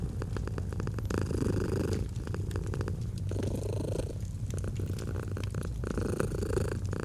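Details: Purring domestic cat by a crackling fireplace in autumn ambience, a steady deep rumble swelling and easing in breaths about a second or two long, faint pops from the fire throughout.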